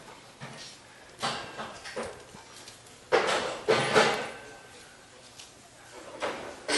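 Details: A young Jindo puppy and a black-and-tan dog play indoors in Jeonju, South Korea, giving brief, irregular yelps and rough growling bursts in uneven clusters over a quiet background.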